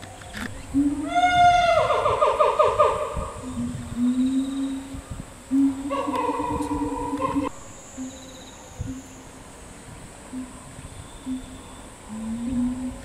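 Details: Chimpanzee from the family group led by the boss male Ryu, with his father Charlie and twin young females: two bursts of loud, rich harmonic calls sliding upward then held, beneath a steady low hum and quieter scattered sounds.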